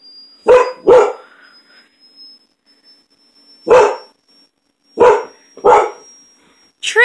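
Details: Pet dog barking in reaction to loud noise during a thunderstorm: two quick deep barks, a pause of nearly three seconds, then three more sharp barks spaced about a second apart, with a faint steady high tone behind them.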